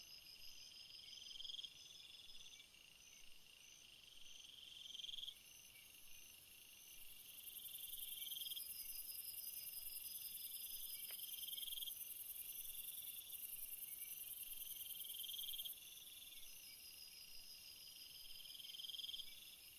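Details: Crickets calling at night in a relaxing night ambience: a steady high chirping chorus with pulsed trills repeating every few seconds, layered over a constant faint hiss.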